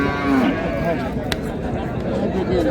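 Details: Improved-breed dairy cows and calves at Raniganj cattle market, Dinajpur, on 2/8/26; a short, low, harmonic moo opens the moment, with a further drawn-out lowing later, all over steady market chatter and crowd voices.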